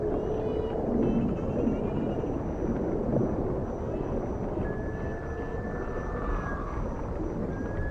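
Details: Dolphin in the ocean giving several thin tonal whistles, some stacked and slightly wavering, then a long level whistle late on, all over constant low rumbling water noise.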